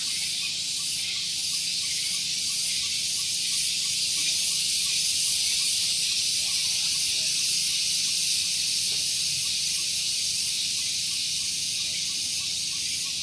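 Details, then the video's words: Morning cicada chorus on Gunung Geulis in Bogor, West Java, recorded close to a parking area. A steady, shrill, piercing drone with regular rhythmic pulsing, about three or four beats per second, and a faint low hum beneath. "Suara Tonggeret"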